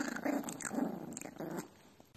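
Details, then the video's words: Angry dog growling indoors: rough, throaty low growl pulsing in uneven bursts for about a second and a half, then fading out, with a person speaking close by. "Angry Dog"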